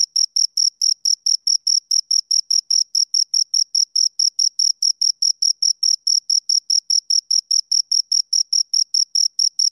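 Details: Steady chirps from two crickets: bright, high-pitched ticks repeated about four or five times a second, very regular, with a faint upper overtone and a completely quiet background.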